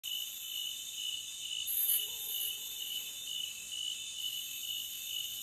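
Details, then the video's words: Crickets in a forest, a dense, unbroken chorus of high, shrill trilling that holds steady in pitch, with a brief brighter burst near the middle and no other clear sounds. "Cricket Sound for 5 hours Loopable"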